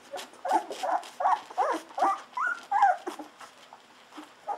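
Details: Golden Retriever puppies, fourteen days old, feeding eagerly on bottled milk: a run of loud, wavering whimpering squeals, each about a third of a second, repeated closely in a series before trailing off to a softer squeak.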